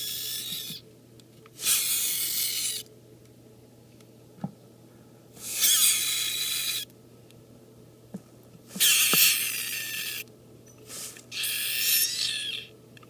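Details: A week-old super snow female leopard gecko hatchling, named Screech, hissing at the keeper entering the room or opening her bin: four broad, noisy, raspy bursts each lasting about a second, spaced irregularly, with a steady low hum indoors.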